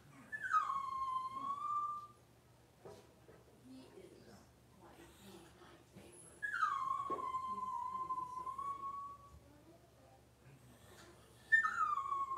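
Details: Six-week-old Cavalier King Charles Spaniel puppy being dewormed and having its toenails trimmed in a puppy pen: three drawn-out high whines, each dropping sharply then levelling off, about five seconds apart, with quiet shuffling between.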